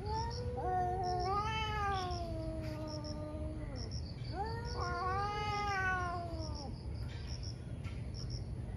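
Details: Two ferocious cats fighting in the morning, trading long yowls that climb into strained, harmonic howls and slowly fall away, two big rounds of wailing with a quieter stretch at the end and faint chirping throughout.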